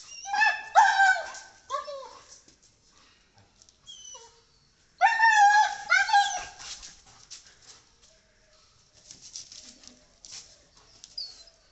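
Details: German Shepherd dog named Alice, in a domestic setting with another dog, kaloo: two bursts of high, harmonic whining yelps with rising and falling pitch, each lasting about two seconds and about four seconds apart, then quieter scattered sounds.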